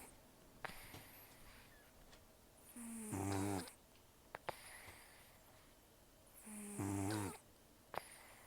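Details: Asleep indoors, rescued senior cat Taro, estimated 10 to 14 years old and almost toothless, gives two loud rasping snores roughly four seconds apart, with light clicks and nasal breaths between them.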